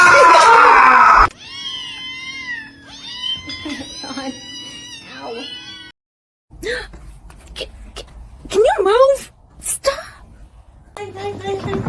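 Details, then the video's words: Kitten meowing, a series of high, wavering meows with rising and falling pitch, several in quick succession and then a pause, followed by shorter squeaky cries among bumps and a human voice. "kitten meowing"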